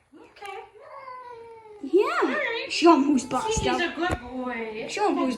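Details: Indoor female cat, hostile toward a newly arrived dog, starts with a low wavering moan that swells into loud rising-and-falling caterwauls, punctuated by sharp clicks, with human speech alongside.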